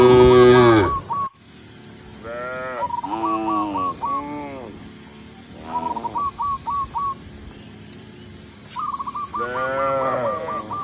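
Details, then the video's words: Tame cows walking calmly into the pen as a village shepherd leads them home; several drawn-out, bending moos spaced a few seconds apart, mixed with bursts of short, repeated hooked chirps. "Village Shepherd Leads Tame Cow to the Pen, Cow Sound, Funny Cow, Cow Moo"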